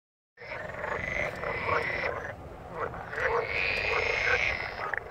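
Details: Several green frogs croaking together, recorded handheld on a Samsung Galaxy S6 Edge phone; a dense, continuous chorus of overlapping rasping croaks, rising and falling in loudness, with no pauses.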